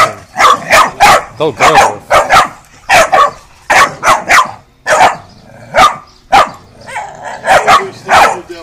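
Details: Cane Corso crossed with Mastiff puppies, twelve weeks old, barking in rapid, uneven bursts, about a hundred short yelping barks per minute, some paired, with a faint human voice in the background.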